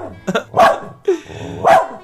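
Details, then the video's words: Husky dog barking to get its owner to take it out for a walk, while the owner is still in bed in the morning; a few short, sharp barks come between a man's spoken words. "小黑叫我是让我遛他，出去玩呢。"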